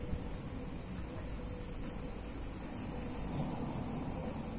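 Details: Cicadas on a hot summer day in a picturesque Italian town, a steady high buzzing hiss held without a break, over a low background rumble.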